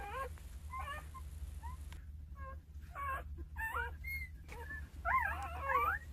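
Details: Nine two-day-old Jindo puppies with their mother Sarang, who cares for them: squeaky, wavering whimpers and yips in quick irregular bursts, several pups overlapping, some notes rising and falling in pitch, with a low background hum.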